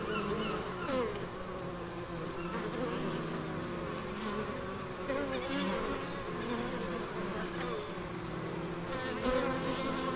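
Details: Many bees hum steadily in the Biblical Gardens of Elgin, Moray, Scotland. The overlapping drones waver in pitch as insects move about, with faint higher rustling in the background.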